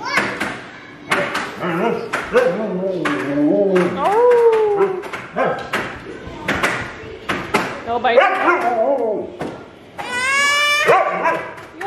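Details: A very talkative female Siberian Husky makes drawn-out, wavering woo-woo sounds after a baby charges at her, mixed with people talking and a child's voice.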